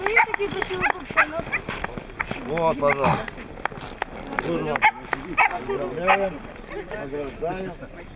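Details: Siberian Husky filmed in Nizhny Novgorod, 3 February 2017: bending, rising-and-falling howl-like 'talking' phrases and brief yips, repeated in several bursts, overlapped by human voices.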